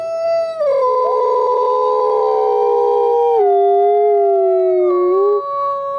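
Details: Pair of captive-born gray wolves, Alawa and Nikai, at the Wolf Conservation Center, South Salem, New York, chorus to reinforce their bond; two voices overlap in sustained howls, dropping in steps to a lower held note.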